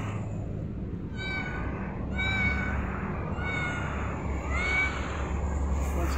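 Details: Cat meowing three times, each a drawn-out tonal meow with a slight rise and fall, spaced about one to two seconds apart, over a steady low rumbling background hum.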